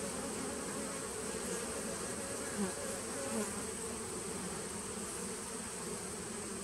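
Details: Honey bees in a nucleus hive, recorded 19 September 2018, give an unbroken low humming drone, with a couple of brief louder swells near the middle.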